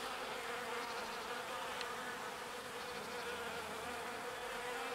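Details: Bees gathering pollen and returning it to their hive. A continuous droning buzz from several insects, even in loudness throughout, with a clear steady hum band and faint higher whines passing by.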